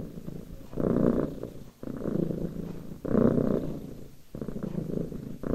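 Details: Domestic cat sitting in a lap, purring steadily; the deep vibrating rumble alternates between louder and softer phases about every 1.2 seconds, like slow breathing in and out, with no other sounds clearly present.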